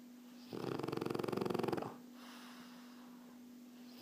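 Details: Erna, a relaxed French Bulldog, snores in one long rattling, fluttery inhalation lasting over a second, rapid pulses buzzing through the breath, then quiet with a steady electrical hum underneath.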